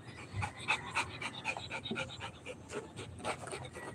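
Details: Rottweiler puppy panting between rounds of ball play: quick, breathy, somewhat uneven pants, roughly three per second, with soft background room noise.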